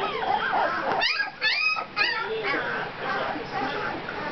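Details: Two-week-old puppies giving rising, whining whimpers and short yips in quick bursts around the middle, over steady human talk and background chatter.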